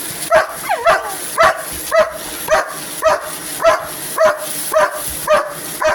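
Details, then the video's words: Pet dog barking at a vacuum cleaner: sharp, evenly spaced barks roughly every half second, eleven in all, over a constant high-pitched motor hum. "Barking at vacuum cleaner"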